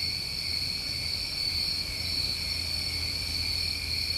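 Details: Steady night chorus of New England summer crickets: several overlapping high-pitched trills held at constant pitch without pause, over a soft low background hum.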